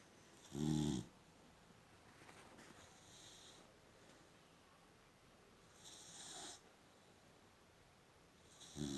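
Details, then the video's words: Female boxer dog asleep indoors, snoring: short loud raspy snores around one second long, spaced several seconds apart, with a quiet room hiss between them and a woman speaking softly to the dog. "Funny sleeping boxer dog! Gorgeous snoring!"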